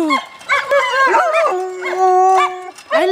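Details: Alaskan Malamute vocalizing in short harmonic bursts: a falling whine, then warbling rising-and-falling woos, a long level tone held for about a second, and a final upward-swooping cry.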